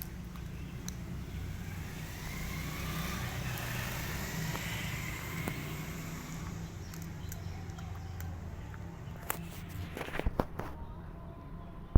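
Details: Steady low rumble of passing vehicles with outdoor background noise, a few sharp clicks near the end, and no animal voice.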